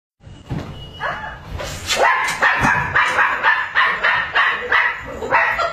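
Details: Chihuahuas barking on guard and protection duty: a rapid run of sharp, high yapping barks, roughly two per second, overlapping and irregular, from more than one small dog.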